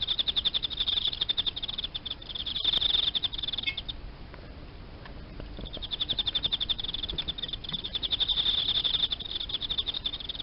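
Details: Emma field cricket kept indoors in captivity, delivering bursts of fast high chirp pulses, falling silent for about two seconds midway, then resuming the rapid pulsing song strongly.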